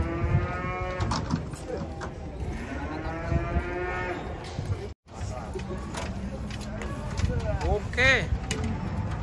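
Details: Cattle being unloaded from a truck, one said to be agitated, giving long low harmonic moos early on, then shorter bellows. People talk and shout throughout, with clatter in the background.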